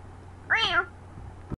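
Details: Cat giving a single short meow that rises and then falls, clearly voiced, over a quiet background that ends with a brief click.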